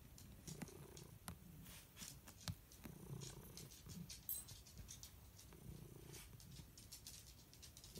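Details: A happy cat purring; a soft, low, rumbling purr in slow waves, swelling and fading with each breath, with light tapping clicks scattered over it.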